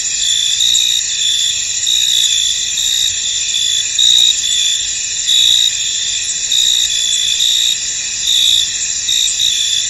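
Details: Cricket chorus in a fog-covered field: shrill, steady trilling in several layers, punctuated by louder chirps roughly every second, background otherwise quiet.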